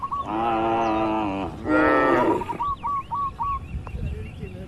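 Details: Tame cattle grazing freely in open countryside: two long, deep, harmonic moos, the second rougher and rising, fill the first two and a half seconds, followed by a string of short repeated bird chirps over a faint breeze.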